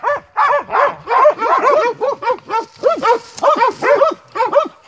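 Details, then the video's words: Pack of Montenegrin Mountain Hounds from kennel 'Sutorman' giving tongue while hunting; a fast string of ringing arched barks about two to three per second, voices overlapping. "Hunting with Montenegrin Mountain Hounds"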